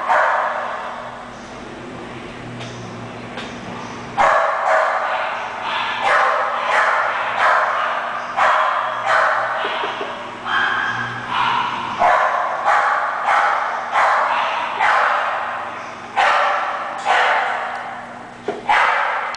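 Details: Young English Bulldog barking repeatedly: a run of loud, harsh barks about twice a second after a quieter opening, with a steady low hum in the background.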